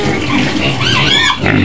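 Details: Brief burst from a white pig in its pen on the edge of Medan, Indonesia, demanding food: a rough rising squeal over low grunting, a woman's voice close by.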